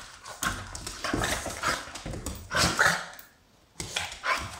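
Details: Smooth fox terrier playing with a Pugalier, three pet dogs named Spike, Willow and DeeDee romping at someone's feet; a few short sharp barks and yips burst out mid-clip over steady scuffling and pattering paws, with a quiet gap near the end.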